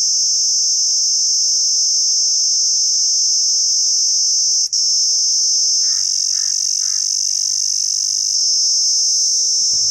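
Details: A cicada in Pakistan drones with a steady, piercing high-pitched buzz that never lets up.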